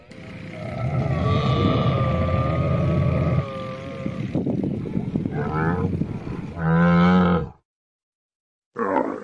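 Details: Camel roaring hoarsely for about three seconds, then giving throaty gurgling grunts and a short loud moan before a pause and a fresh burst.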